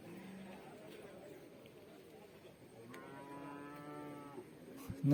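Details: Water buffalo calves at a market: a short low call early, then a longer, harmonic-rich nasal moo lasting over a second, amid constant background hum and distant activity.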